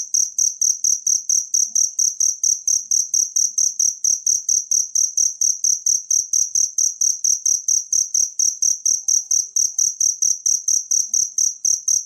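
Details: High, metallic cricket chirps repeat in a long, tight, regular series, about four each second. This is natural cricket sound used to teach songbirds, with nothing else audible.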